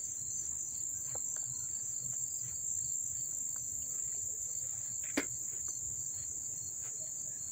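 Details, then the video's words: Close-up chorus of crickets in Dobbs Ferry, New York, recorded August 1, 2014, giving an unbroken high, shrill trill, with a brief sharp click near the end and low rumbling underneath. "the chirping of the crickets"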